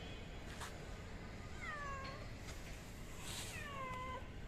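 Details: Kittens abandoned by their mother and stranded on a roof mewing; two clear, drawn-out meows slide downward from high to mid pitch, about two seconds apart, with a constant low traffic drone behind.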